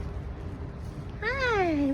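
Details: A feral outdoor cat gives a single drawn-out meow that rises briefly then slides downward, over a steady low rumble of background noise.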